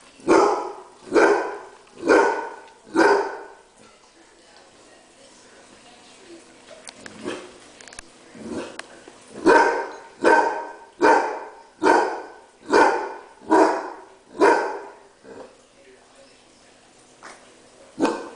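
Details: Furious barking from Sugar, a female Basset Hound enraged by others eating her dinner: a run of four deep harmonic barks, quieter broken sounds, then a steady series of about eight barks nearly one per second, and a final bark.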